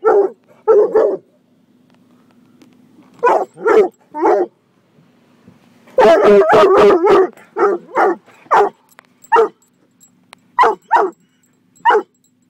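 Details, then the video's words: Coonhound mix named Gunner guarding his people against a car wash, giving loud harmonic barks in irregular bursts, with a dense flurry of overlapping bays around six seconds over a low constant machine drone. "Coonhound vs Car Wash"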